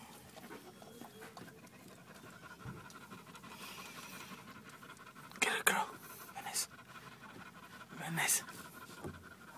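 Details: Female dog giving birth to puppies indoors, breathing in rapid, rough panting of about four breaths per second, with people talking softly nearby and a few louder bumps and rustles.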